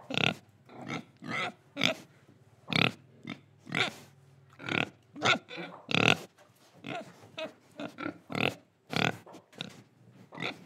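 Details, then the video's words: Pig recorded in Indonesia while breathing and eating, giving short rough oinking grunts in a quick, uneven series of about two per second, with faint breathing in the brief gaps. "Pig Sound Effects Oink Oink, Breathing & Eating"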